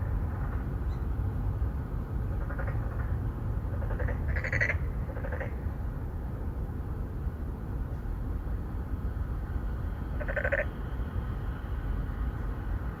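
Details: Endangered narrow-mouthed frogs, three or four males seeking females at a pond inside an apartment complex in Songdo, Incheon, South Korea, phone-recorded: scattered brief buzzy pulsed calls, a cluster near the start and one later, beneath constant low hum.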